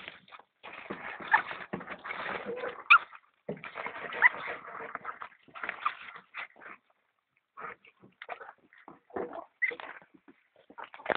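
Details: Feeding European polecat and ferret kits, producing a dense stream of high squeals, whimpers and chittering that runs almost continuously for six seconds, then breaks into scattered sharp squeaks and short bursts.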